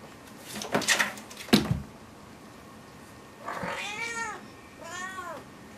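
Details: Five-month-old calico cat indoors, playfully attacking a small insect on the ceiling; early thumps and knocks, then two short arched meows near the end, harmonic and slightly rising-falling, in a quiet room.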